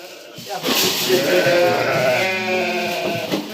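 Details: Lamb, one of a group about one and a half months old, calling at evening feeding time. A loud, sustained, trembling bleat fills most of the stretch, with faint talking in the background.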